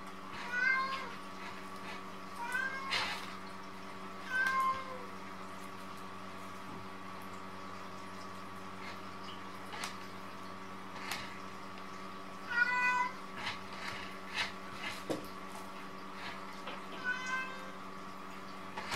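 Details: Munchkin cats, three siblings, playing and fighting with a mop indoors: short, thin meows come in scattered bursts, some in quick pairs, over a steady electrical hum and soft knocks.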